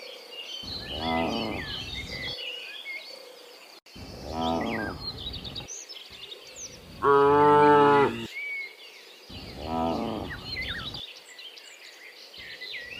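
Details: Dozens of cows being herded home from the fields to the pen in the afternoon; four harmonic moos of one to two seconds each, one louder and fuller, with bird chirps in the background.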